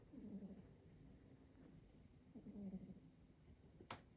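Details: Calvin, a short-nosed pet cat who snores constantly, breathing in a soft, low rumbling snore with buzzy harmonic bursts at the start and again around two and a half seconds, and a sharp click near the end.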